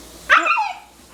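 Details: Eleven-week-old Siberian Husky puppy, prompted with a question, makes a brief yodelling vocal of under half a second, a quick rise and downward slide that its owners hear as talking, followed by quiet room sound.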